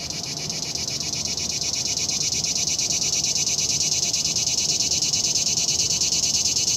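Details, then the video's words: Cicada song: an unbroken, loud, shrill buzzing drone with a fast, regular pulsing texture that holds at a steady level for the whole stretch, with no other clear sounds. "El canto de la chicharra"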